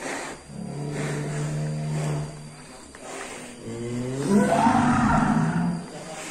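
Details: Black Angus cattle in a pen: a low, steady droning tone, then a loud drawn-out moo that swells and rises with rich harmonics before fading. People talk and shout nearby, with a constant engine-like hum.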